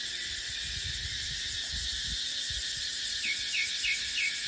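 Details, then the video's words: Cicadas drone shrilly and without pause in a dry-season dipterocarp forest; low wind gusts thump beneath, and four quick, soft bird chirps close the stretch. "เสียงจั๊กจั่น สายลม ในป่าเต็งรังยามหน้าแล้ง"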